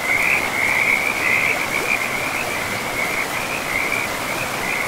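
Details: Close frog calling beside a river in a pristine forest, a high, continuous rattling trill pulsing in uneven waves, loud and clear above a soft background rush of moving water.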